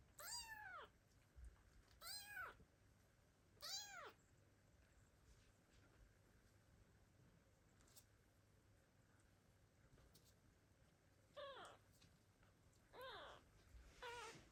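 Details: Loud calls from abandoned kittens seeking their mother cat in 2022: three quick high arched meows at the start, a quiet gap, then three more shorter meows near the end.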